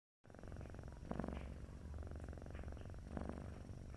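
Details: Sleeping domestic cat purring, its sound described as snoring: steady low rumbling buzz with a brighter breathy swell near one second and another near three seconds, in an otherwise quiet setting.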